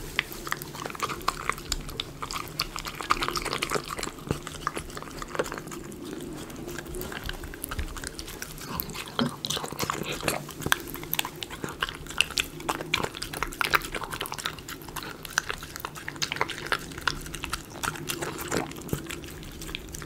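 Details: Miniature Schnauzer eating premium dog food, chicken pot pie, recorded close up indoors in a small room: dense, steady crunching and chewing with rapid clicky bites and wet smacking throughout.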